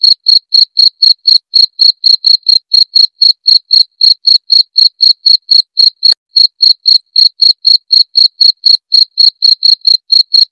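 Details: Cricket. A cricket gives a loud, clean run of high, pure-toned chirps, about four each second in a steady rhythm. The pulses ring sharply and evenly, with one faint click partway through.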